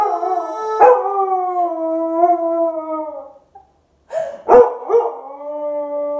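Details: Pet Siberian Husky in Arizona howling along with accordion music, long sustained wavering tones mixed with the instrument's steady chords, with a short break before the howling resumes.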